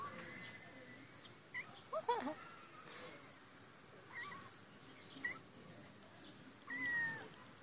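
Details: Caged female cat calling to be released: short, bent meows spaced a second or so apart, ending with a longer, clearer drawn-out meow, against a quiet room hum.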